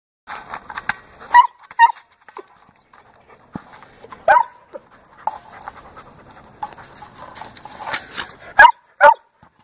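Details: German Shepherd Dog playing with a large orange ball: sharp, isolated barks and brief whiny yelps come in bursts a few seconds apart, with panting, thuds and rustling between them.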